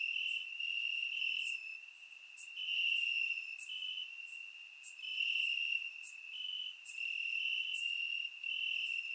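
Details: Night-time cricket chorus from grass in Bulgaria during warm summer, recorded in surround: constant piercing trill at one high pitch, pulsing louder and softer every couple of seconds, scattered high ticks.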